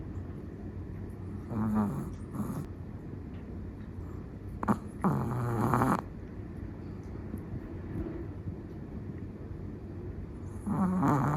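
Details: Sleeping Chihuahua snoring in a quiet room, with a few irregular raspy snores around two, five to six and eleven seconds, the middle one longest and loudest, over low steady background hum.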